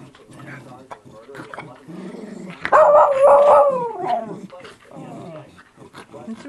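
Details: Miniature Schnauzer growling while playing with a person: low rumbling growls throughout, swelling into a louder, higher whining snarl for about a second and a half in the middle.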